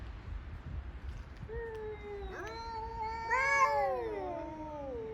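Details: Rival male cats yowling in a morning territorial quarrel, outdoors in Okinawa, Japan; two drawn-out wavering wails overlap, one climbing into a harsher, louder cry, against constant low background noise.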